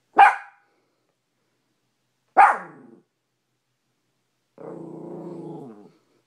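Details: Maltipoo Cash confronting his mirror reflection in a bedroom: two sharp high barks about two seconds apart, then a sustained low growl of over a second.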